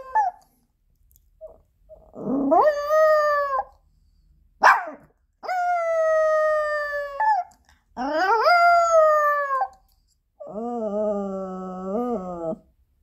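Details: Indoor howling by Ponki, a Pomeranian left alone when its owner goes out: wolf-like drawn-out cries that swoop upward then hold a steady tone, with short yips between them. The last wail is lower and wavering. Room otherwise quiet.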